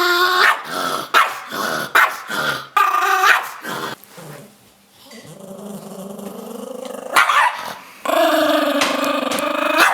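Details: Pet Chihuahua that dislikes showering, growling while being coaxed toward the shower: a long, low, rumbling growl held about three seconds and rising slightly, framed by bursts of a person's coaxing speech before and after.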